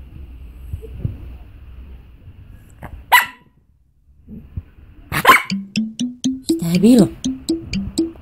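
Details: Luna, a pet Bichon Frise, calling for Miljana: after a few sharp knocks, a run of short tonal whines, each rising or stepping in pitch, repeats roughly twice a second while a voice speaks and faint music plays.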